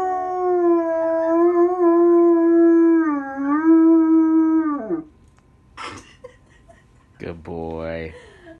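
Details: Whisky the German Shepherd howls with his mother Phoenix and brother: one long, sustained, slightly wavering howl that drops in pitch as it ends, then a brief knock and a short low rising voice-like sound.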